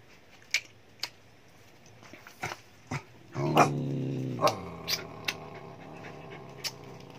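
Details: Dog from a household group of two Vietnamese native dogs and six Japanese dogs with puppies; a low, rough growl lasting about a second, fading into a softer drawn-out tone, surrounded by sharp clicks and knocks.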